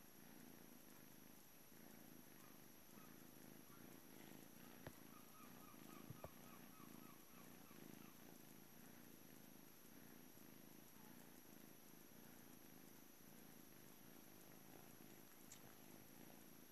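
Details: Juno, a blue British Shorthair male at the Calmcat cattery, purrs through a long morning stretch before going to his new family; constant low rumble in regular pulses, with a faint high chirping and a few soft clicks.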